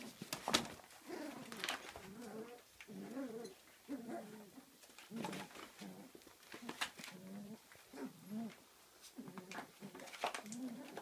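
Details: Kooikerhondje puppies, 34 days old, playing in their own activity room at a Swedish kennel; short whiny, wavering grumbles and whimpers come in bursts, mixed with sharp clicks and knocks of movement indoors.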